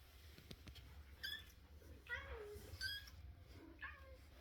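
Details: Russian Blue kitten giving four short, high squeaky calls spaced about half a second to a second apart, each with a slight bend in pitch, over a low steady indoor hum.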